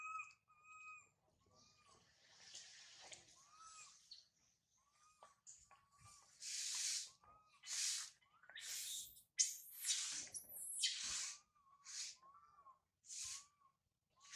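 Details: Infant monkey Sario, left by mother Sarah, crying loudly high in a tree: thin tonal coos that bend up and down, mixed with harsh breathy screams in bursts about once a second, the screams louder toward the end.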